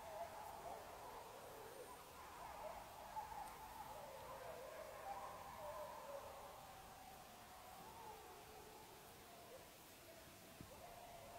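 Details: Wild wolves, young and older animals together with the breeding male, howl at night, recorded on a phone. Faint overlapping tones waver and drift in a continuous chorus with no pauses, under steady hiss.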